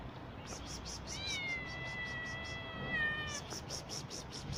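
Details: Mother street cat, newly given birth, her kittens not yet found: one long drawn-out meow lasting about two seconds, steady then dipping at the end, over a rhythmic series of soft rustling thuds.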